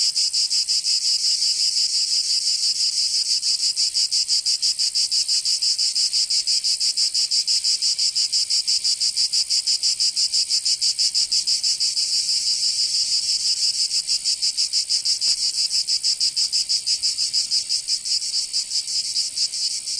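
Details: Provençal cicadas in summer, southern France, droning in an unbroken high rasping chorus with fine rapid pulsing, steady in loudness across the whole stretch; nothing else audible.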